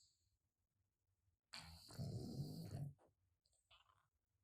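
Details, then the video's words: Male pet cat with a blocked nose snoring loudly: one rough, low rumbling snort lasting about a second and a half, then quiet breathing and faint room hiss. "Cat Snoring Real Loud"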